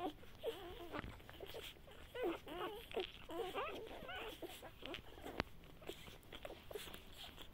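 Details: Great Pyrenees x Bernese Mountain Dog mix, Great Pyrenees mother and Bernese father, at feeding time: a run of high, wavering whines that rise and fall, bunched between two and five seconds, then fading to a few softer whimpers over light background noise.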